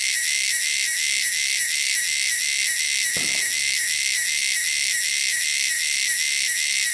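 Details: Shrill wilderness cicadas drone without pause, a piercing hissy buzz throbbing roughly three times a second; a single soft knock is heard near the middle.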